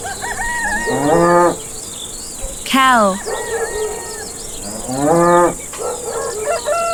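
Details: Farm cow lowing three times about two seconds apart, each moo a drawn-out harmonic call that rises then holds, over a steady background of chirping insects and small bird notes.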